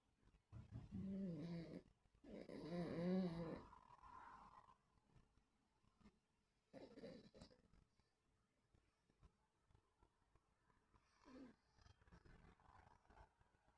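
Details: Sleeping, dreaming dogs recorded 26.8.24: low, tonal moaning growls in two drawn-out bursts early on, a shorter groan near seven seconds, then a faint murmur near the end, with quiet breathing between.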